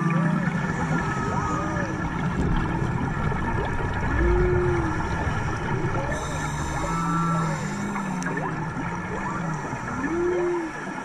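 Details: Song of humpback whales heard on a dive off Maui in March, serenading the divers: repeated arched moans, low drawn-out tones and higher rising whistles recur every few seconds over a constant underwater rumble.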